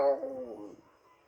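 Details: Muffin, a female Shih Tzu, answering when her name is called indoors: a short, tonal, falling howl that fades out within a second, following a spoken call of her name.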